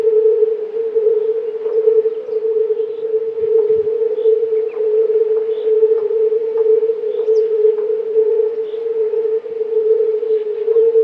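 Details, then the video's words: Several hundred male fire-bellied toads give a mating chorus of soft, mellow "u" hoots that blend into a nearly uniform, steady, low humming drone. "Kumak nizinny (Bombina bombina / fire-bellied toad)"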